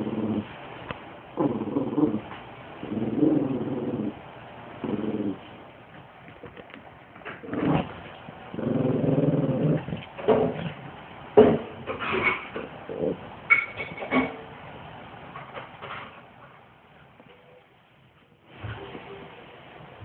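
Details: Great Pyrenees and Chihuahua at play in tug of war, the small dog pulling; low, rasping growls in uneven bursts, interspersed with sharper clicks and handling noises.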